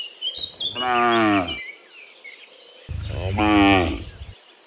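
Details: Herd of dozens of cows heading home from the fields to their pen in the afternoon; two drawn-out, rich harmonic moos about two seconds apart, over a backdrop of twittering birds.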